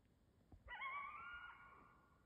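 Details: Coyote in Canada howling: one sudden, steady, slightly wavering high howl with strong harmonics, held level for well over a second and slowly fading, in a quiet setting.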